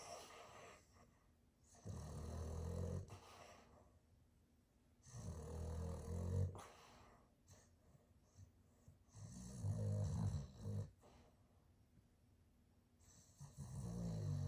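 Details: Jagger, a Boston terrier, snoring loudly in his sleep: deep, rasping snores in long bursts roughly every four seconds, with quieter breathing between them and faint indoor room noise.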